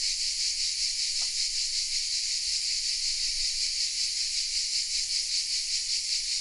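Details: Song of cicadas in oak trees around Vézénobres in the south of France, camera-recorded: an intense, even high-pitched drone with regular pulsing beats and one brief faint click early on.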